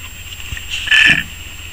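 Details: Outdoors in the Pacific Northwest, a male June bug gives a single short hiss when threatened, a thin, high, squeaky, rasping burst under half a second long, rising out of a quiet background over a faint low buzz.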